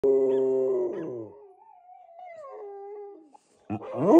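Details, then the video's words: Dogs howling before going to bed: a loud harmonic howl for about a second, then a thinner wavering howl gliding down over two seconds, a brief pause, and another voice starting at the end. "Dogs howling before going to bed"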